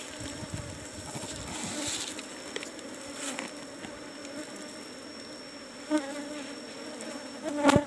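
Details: Asian honey bees (Apis cerana) in cultivated hive box number 17 during a honey harvest: a steady low droning hum holds throughout, with scattered clicks and knocks from handling the box and sharper taps near the end.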